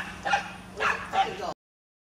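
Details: A dog circling a goose barks at it three times, quick and sharp, about half a second apart, over a faint steady low hum; dog.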